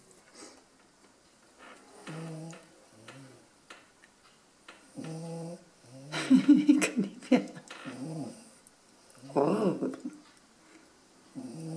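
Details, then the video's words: Sleeping dog giving nasal, buzzy snores in short irregular bursts, each a low droning breath with layered tones. A person's voice speaks softly between and over several of the snores. "schnarchender hund"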